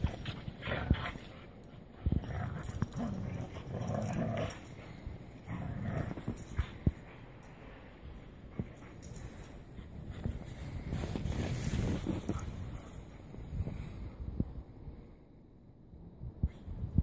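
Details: Dudley the corgi wrestles in the snow with a husky sister and a corgi sister at the grandparents' home: rough, low grumbling play noises and scuffling, broken by sharp broadband thuds, with the muffled rush of movement throughout.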